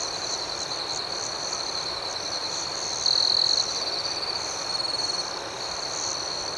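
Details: Crickets chirping at night, a dense high continuous ringing with faint rhythmic pulses above it, and one closer insect adding a louder half-second trill partway through, followed by softer echoes of it.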